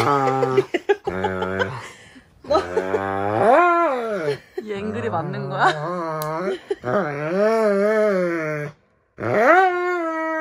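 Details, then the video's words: Roman the Dobermann carrying on during nail clipping at home: short low moans alternate with loud, wobbling, rising howls, broken by choppy pauses, with human voices mixed in. "시바견보다 엄살심한 도베르만 발톱깎기(고막주의)"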